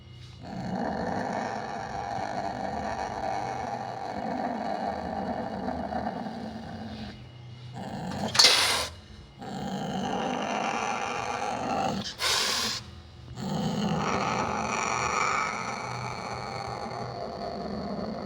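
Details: Growling Sumatran leopard cat, Prionailurus bengalensis sumatranus, locally called kucing hutan or kucing kuwuk: a continuous low, raspy snarl sustained throughout, interrupted by two sharp spitting hiss bursts at roughly eight and twelve seconds.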